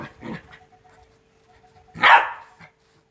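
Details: Two-month-old Rottweiler puppies playing: a soft low growl, a pause, then one loud sharp bark with a brief yip after it, over a faint steady hum.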